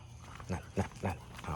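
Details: Local village dogs in Thailand barking loudly at a passing pit bull on a leash; four short, low, gruff barks about a quarter second apart, with faint background noise.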